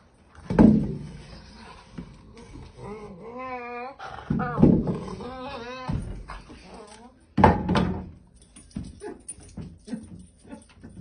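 A Weimaraner whines in wavering, high-pitched wails, broken by sharp thumps or yelps.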